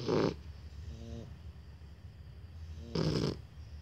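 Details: Shar Pei puppies asleep, a pair snoring: two loud, breathy snorts about three seconds apart, with a faint, buzzy snore between them over a low steady hum.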